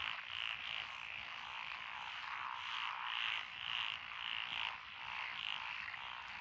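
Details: Frog chorus from lotus rice paddies beside a rural road in Echizen, Fukui, Japan, 12 June 2021, with tree frogs and pond, wrinkled and green tree frogs named. Dense overlapping croaking, bright pulsed bursts recurring about twice a second over steady trilling.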